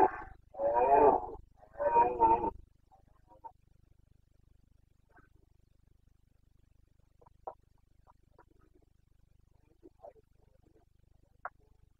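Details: Carpathian red deer stag during the breeding season, the boncănit, in the Bucovina mountains, 29 September 2022: two loud, harsh, rasping roars in quick succession, then quiet with a few faint distant clicks and calls.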